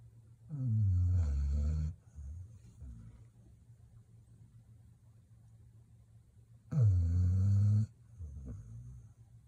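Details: Sleeping Labrador Retriever, a young dog under one year old, snoring deeply: two loud, low, rasping snores about five seconds apart, each over a second long, with quiet breathing between them.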